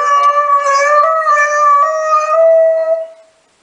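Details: Dobermann howling in a steady, drawn-out tone with rich overtones, the pitch wavering slightly for about three seconds before fading out.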